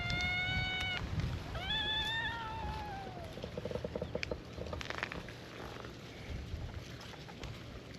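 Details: Meowing from a gathering of feral cats on a cat island, welcoming a visitor: a long steady meow, then a rising-and-falling one, followed by quieter scattered sounds and low rumbling background.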